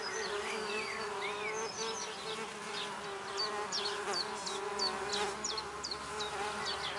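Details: Red orchard mason bees, six solitary females, starting work at a newly placed recycled-oak drilled nest block in a back garden; a steady low droning buzz runs throughout while small birds chirp and twitter brightly overhead.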